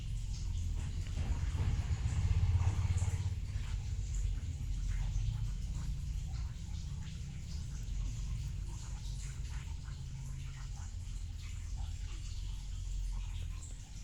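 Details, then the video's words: Bubu, a black cat, asleep and snoring indoors: a steady low rumble with a denser, buzzy stretch early on, then a softer, even drone throughout. "Bubu Kucing hitam tidur ngorok"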